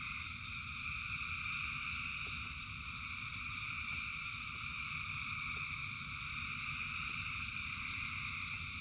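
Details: A rainy-night frog chorus of thousands of callers: steady, overlapping high trills without pause, backed by a low wash of falling rain and occasional crisp drip sounds.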